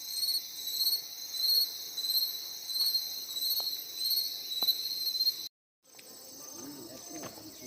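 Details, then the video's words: Shrill insect chorus of layered high continuous tones swelling and fading roughly every second, ending abruptly in a short gap followed by fainter buzzing and a brief low voice. "ऐसी आवाज आपने कभी सुनी है क्या कीड़े मकोड़ों की"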